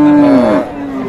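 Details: Cattle at a busy livestock market, Ambari haat in Dinajpur, on Friday 8 April 2022, where beef bulls are bought and sold; a loud, steady low moo that drops in pitch midway and fades into a softer tail.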